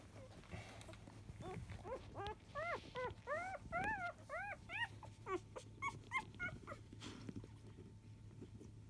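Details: Newborn field-line Labrador Retriever puppies, five days old, whimpering while nursing at ten in the morning: quick bursts of thin, rising-then-falling squeals in an uneven series, with a faint background hum.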